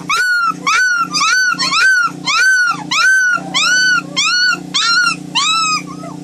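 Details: White German Shepherd puppies giving loud, regular arched whines or yelps, each rising and falling, repeated roughly every half second, with a steady low electrical hum underneath.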